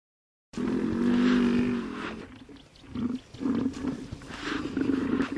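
A hippopotamus gives a deep, droning groan followed by a series of short, pulsing honks.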